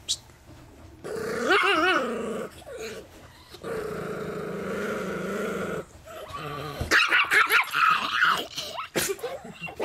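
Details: Chihuahua–Miniature Pinscher cross, a family dog with several past owners, guards his peanuts: a long sustained snarling growl, rising and wavering, then breaking into sharper snapping barks, with speech nearby.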